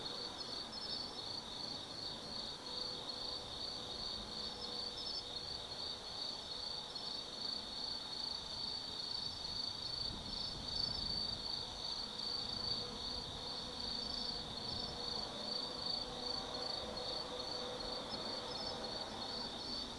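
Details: Many autumn insects sing through the night in the woods of Tsukimi no Mori, Gifu, Japan: one strong pulsed trill beating rapidly and evenly over a continuous high chorus, with a faint low background hum.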